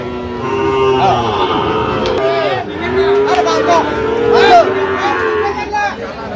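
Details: Sahiwal calves offered for sale at a crowded cattle haat, 3 October 2025, where a Dhaka farmer buys bull calves. Long, steady mooing tones rise and fall over several seconds, overlapped by men haggling loudly and market bustle.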